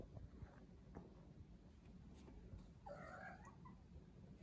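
A Scottish Fold cat gives a brief, wavering meow over a steady low purring rumble.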